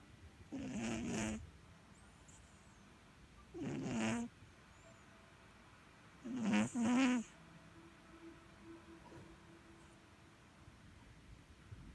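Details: Domestic cat snoring while asleep, with three loud, rasping breath bursts spaced about three seconds apart and quiet pauses between them.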